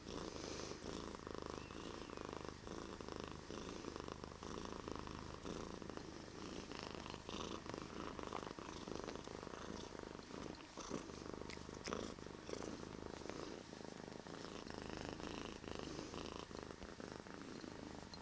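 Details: Bear the cat purring deeply and continuously, a low vibrating drone with a rhythmic pulse as the cat breathes in and out, and faint soft rustles.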